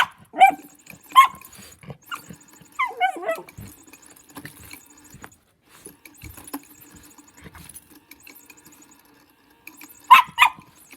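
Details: Lulu, a pet dog, playing with a motion cat toy: a few sharp high barks early on, a wavering whine near three seconds, then a final pair of yelps, with a steady mechanical hum and clicks from the toy throughout.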